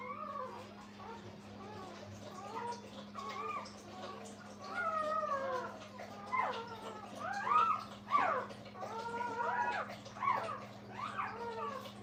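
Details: Brittany puppies crying near their mother Minnie at a kennel; many small squeaky whimpers overlap in a busy, restless chatter that grows louder midway, over a steady low hum.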